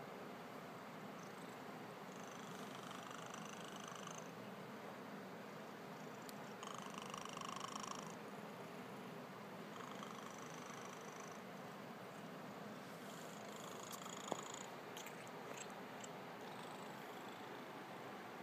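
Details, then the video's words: Sleeping house cat snoring indoors: soft, breathy, hissing bursts recur every two to three seconds over a steady low purring rumble, with a few faint clicks and no voices. "Snoring cat"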